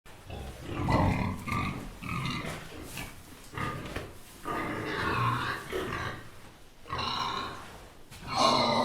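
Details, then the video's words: Little pigs eating: a run of short snuffling grunts and wet chewing snorts in uneven bursts, several animals at once, breathy and rough, with brief quiet gaps between bouts. "Pigs eating sound effects"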